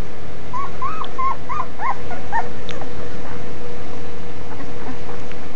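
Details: Cane Corso puppy aged five days making a quick run of small, wavering whimpers in the first two seconds, trailing off into faint squeaks over a steady low hum.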